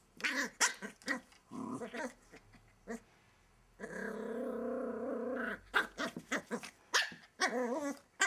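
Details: Welsh Terrier puppy called Kimiko hiding under a wardrobe indoors, giving a sustained rough growl of about two seconds amid short sharp yaps and snarling bursts.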